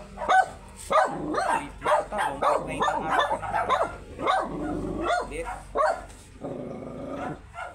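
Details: Very small Shih Tzu during a stud session in Pangasinan, giving a rapid run of short, sharp barks and yips, about one or two per second and unevenly spaced, with some voices in the background.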